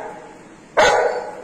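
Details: Anna, a female Golden Retriever, showing her toy to her owner before the morning walk; after a quiet indoor pause comes one sudden, loud, short bark lasting under a second, with a woman's voice coaxing about the toy nearby.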